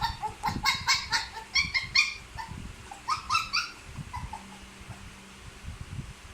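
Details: Puppy crying in a series of high, whining whimpers with harmonic bands, several bursts clustered in the first four seconds, then softer, fainter cries; low thumping and handling noise underneath.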